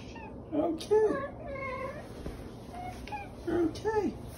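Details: Domestic cat known as the OK Cat, a female whose meows sound like "okay": short arched, tonal meows near the start and again near the end, with soft human voices in between indoors.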